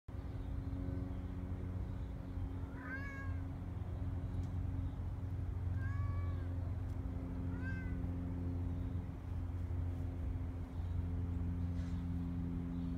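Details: Kitten up a tree, recently let outdoors after living indoors only, meowing three times around 3, 6 and 7.5 seconds; short harmonic calls that rise then fall, over a steady low hum and rumbling background noise.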